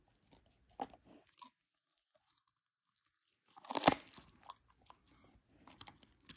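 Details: Huskies chewing Icelandic cod skin treats indoors: a few soft crunches, a long near-silent pause, then a loud burst of crunching bites followed by lighter, scattered chewing.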